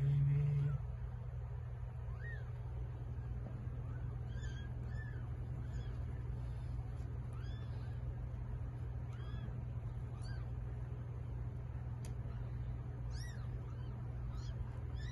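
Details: A cat delivering a litter of eight kittens. Thin, high, arched little mews repeat irregularly, several per second at times, over a constant low electrical hum, with a short low thump at the start.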